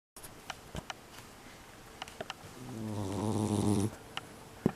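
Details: Loud snoring of an indoor tabby mixed-breed cat of unknown age, recorded December 2021: one rough, buzzy, low rumbling breath of about a second, surrounded by faint clicks and rustles in a quiet room.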